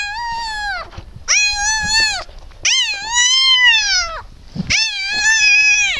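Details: Just-born Siberian Husky puppy, one of eight whelped by Shony around 20:30 on 12 December 2015, giving loud, sustained, nasal squealing cries in four bursts, each slightly arched in pitch, with short pauses between.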